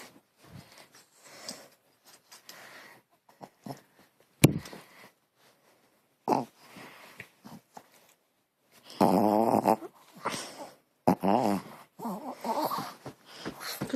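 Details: Dog at home making a strange noise while playing: quiet snuffles and snorts at first, then two loud bursts of rapid, wobbling, warbled moaning about a second long each, followed by shorter rough calls.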